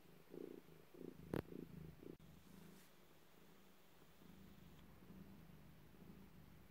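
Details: Cat giving birth purrs in strong rhythmic pulses for about two seconds, with a sharp knock, then the rumble drops to a quiet, steady low hum.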